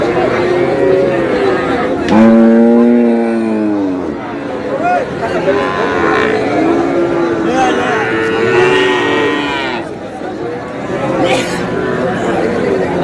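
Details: Sahiwal cattle at a livestock market, where a Madaripur farmer buys a Sahiwal bull, 14 May: a loud, drawn-out low with strong harmonics lasts about two seconds, followed by shorter, fainter moos under steady crowd chatter and voices.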